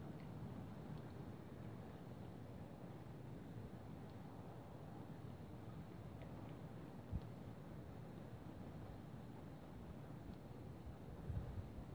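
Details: Low wind and rain rumble fills the recording, broken by a few faint knocks, with no animal sound audible.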